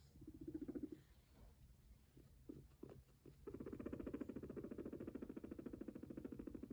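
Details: Pet guinea pig, a sheltie, purring while walking: a low, rapidly pulsed buzzing purr in short bursts, then a steady fast-throbbing stretch in the second half, with light pattering steps.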